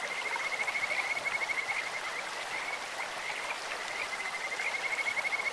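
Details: In a clear stream, Kajika frogs give sweet, bird-like calls: quick pulsed trills repeated in bursts at a steady high pitch, heard over constant rushing water.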